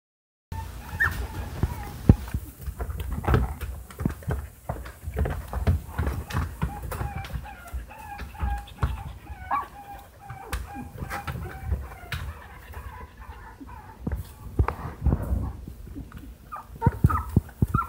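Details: Two-week-old Siberian husky puppies at a breeder, born August 29, 2015, their eyes just starting to open, whimper in thin, high squeaks over soft bumping and rustling.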